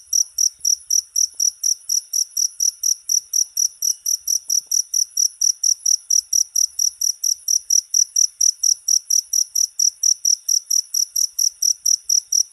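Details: Cricket chirping in a steady run of short, high, bright pulses, roughly two per second, each chirp clean and even with no other sounds around it.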